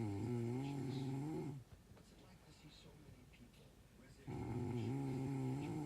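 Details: Dog asleep and snoring all night long, giving a deep vibrating snore of about a second and a half, then near silence for nearly three seconds before another rough, droning snore begins.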